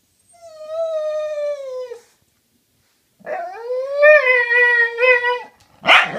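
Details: Dogs talking to each other: a smooth, level, tonal howl held for nearly two seconds, then after a pause a rising, wavering howl with yodel-like breaks, ending in a brief rough yip.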